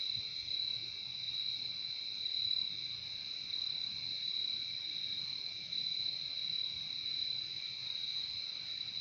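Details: Crickets producing a continuous high, ringing trill layered over a quieter lower buzz, nearly level in volume across nine seconds, with only faint low background rumble.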